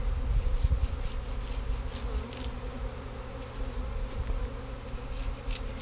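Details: Honey bee swarm, the third caught in 2017, being gathered into a box: a steady, dense buzzing hum in the low-mid range, with low rumbling and scattered faint clicks and taps.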